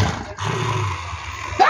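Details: Angry Dalmatian growling when called for a bath; a steady low, throaty rumble held for over a second under a woman's Portuguese voice coaxing it to bathe.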